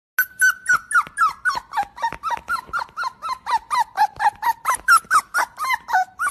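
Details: Pet dog giving a rapid series of high, squeaky yelps, about two per second, each a short falling note with bright overtones, steady and evenly spaced throughout, indoors with no other sounds.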